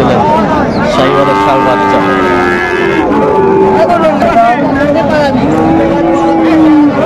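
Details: Sahiwal cattle at a busy Raniganj market in Bogura, Bangladesh, on 6 January 2025: several long, low, gently bending moos, one after another, overlapping with people talking and market bustle.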